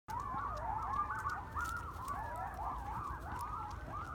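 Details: Wild pack of urban coyotes (Canis latrans) howling together at night, close to a person walking a dog: overlapping wavering, siren-like tones and quick yips.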